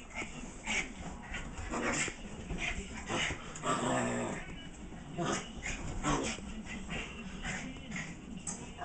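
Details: Two Chihuahua mix dogs, a Chihuahua-Miniature mix and a Chihuahua-Terrier mix, wrestling playfully on a couch at home: rough scuffling growls, whimpers and short yips in irregular bursts, with rustling between them.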